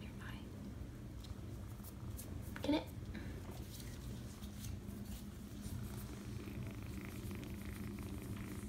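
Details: Seven-week-old foster kitten purring indoors, a steady low rumble throughout, with a sharp click near the middle and faint background rustling.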